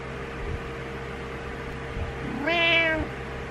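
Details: Morning wake-up meow from Butters, a house cat impatient for its owner to rise: a short soft sound, then one loud harmonic meow holding level about half a second, steady indoor hum throughout.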